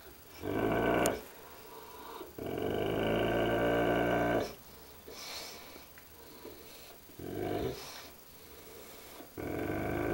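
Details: Dogue de Bordeaux growling at its reflection in a mirror: quieter, rasping low growls in bursts of one to two seconds with gaps between, resembling snoring breaths.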